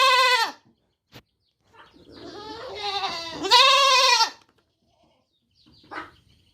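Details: Baby goat calling with a short bleat cut off at the start, then a rising, drawn-out quavering baa, followed by quiet and a faint brief sound.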